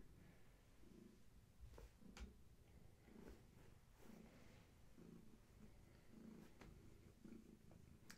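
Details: Long-haired tabby Gaia, pregnant and near birth, purring during a bedtime check indoors; rhythmic low purr with swells about every second, plus a few soft clicks and rustles.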